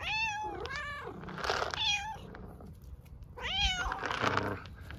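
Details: Strong, clear meows from hungry stray cats in Istanbul asking for food and attention: two bright harmonic meows at the start, a pause, then another loud bent meow, with soft rustling between.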